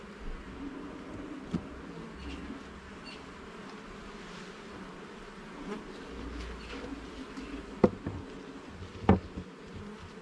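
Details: Honey bees during a hive inspection in a garden: a steady, dense buzzing hum in low and mid tones, with occasional sharp clicks and knocks as frames are handled, and no talking.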